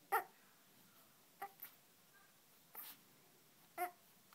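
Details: Three-month-old Yorkshire Terrier puppy making funny sounds: four short, high, sharp yelps or small barks spaced about a second apart, otherwise a quiet background.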